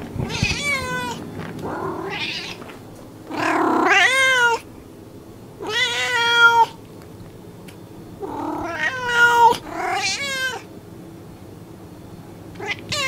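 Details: Domestic cat meowing repeatedly: around seven meows of varying length, some short and chirpy, others long and level, over persistent low background noise.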